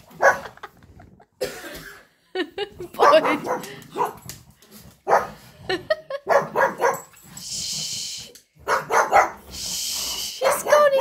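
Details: Pugs barking in short, sharp bursts at a squirrel that came into the garden during a holiday, mixed with a person talking.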